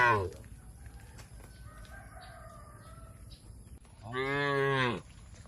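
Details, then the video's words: Tame cattle being herded toward a wide field in a peaceful village setting: one harmonic, slightly rising moo lasting about a second near the end, after a quiet stretch with faint background hum and a brief sound at the start. "Suara Lucu Sapi Menghibur"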